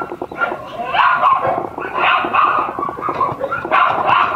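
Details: Mame-shiba-sized Shiba Inu puppy siblings yapping in dense, overlapping bursts, roughly one surge per second, high and shrill throughout.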